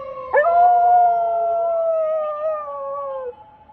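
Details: Pet dog, one of two sister dogs, howling at a passing police car siren during an evening walk. A single sustained, tonal howl swoops up, then holds steady for about three seconds before sliding down and fading.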